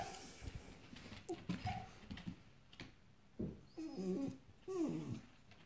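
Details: Excited dogs whimper after a squirrel on a hot morning: brief, faint whines and curving yelps scattered over rustling background noise.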